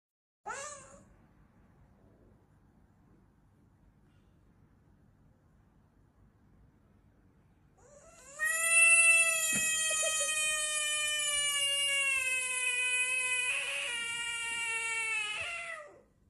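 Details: Frog screaming with a cat-like voice: a brief cry, a long silence, then a loud sustained wailing scream lasting about eight seconds, steady and richly harmonic, slightly falling at the end.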